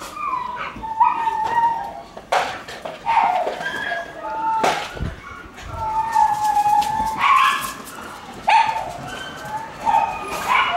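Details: Playful Shiba Inu puppy running riot inside a sunlit room in the morning, letting out a steady run of squeaky, tonal yips and whiny barks, some drawn out, with sharp knocks of play throughout.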